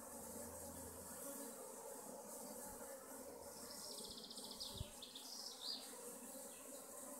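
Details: Honey bee colonies at their hives in western Augsburg, Germany, give a steady, dense low buzzing drone throughout, with brief high bird chirps breaking in around the middle and later.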